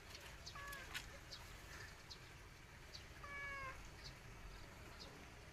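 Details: A cat described as sad makes two soft, short meows, one early and one midway, the second slightly rising then falling, half-masked by steady low rumbling background noise.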